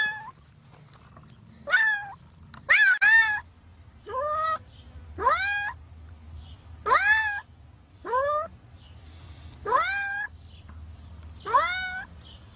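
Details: Cat embedded in concrete cement calling persistently; clear, strongly harmonic meows that rise then droop, about seven in sequence, with a brief knock and faint low hum in the background.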